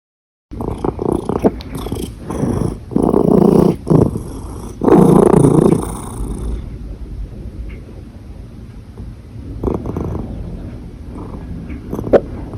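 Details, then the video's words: Domestic cat purring while it has hiccups: a low, steady rumbling purr broken by loud bursts and sudden jerky pauses, growing quieter and more uneven in the second half. "Cat Hiccups with Purring"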